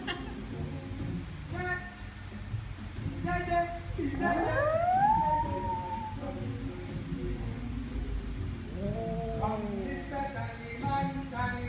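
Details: Pet dog singing along to the Day-O Banana Boat Song: a long wavering howl that climbs and slides through the middle, then a shorter, gentler howl later, with the music and voices playing throughout.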